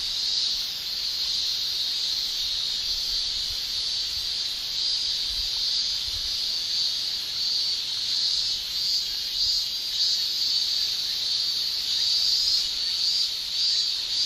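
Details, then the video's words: Chorus of male Japanese cicadas in summer, high shrill continuous buzz with faint rhythmic surges in loudness, steady throughout with no other clear sounds. "Japan Summer Cicada Shrilling Relaxing Sound"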